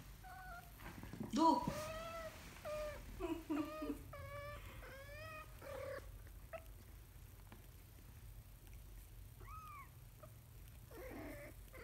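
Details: Kitten learning to walk calls in a rapid run of short high mews and squeaks, some louder and strained, followed by quieter scattered mews after a pause, against a low indoor hum.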